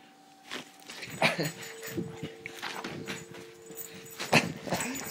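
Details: Rhodesian Ridgeback dog playing at work with a person's arm: soft tonal whines and squeaky yips mixed with mouthing and rustling noises, louder bursts around one and four seconds.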